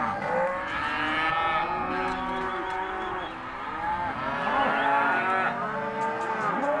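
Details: Group of empty Hereford and Careta cows from a sale lot, several lowing together, long harmonic moos that bend upward and sag, overlapping steadily across the stretch.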